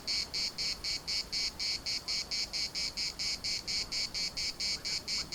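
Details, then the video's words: Cicadas singing in the municipal park at Larnaca: a loud, dry, buzzing chorus broken into even pulses, about two per second, steady throughout with no other clear sounds. "CICADAS at the municipal Park Larnaca"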